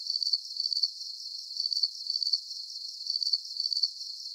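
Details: High, thin cricket chirps from a soothing sleep soundscape, each a quick run of pulses, repeating in paired bursts with brief gaps, steady and even throughout, no other sounds present.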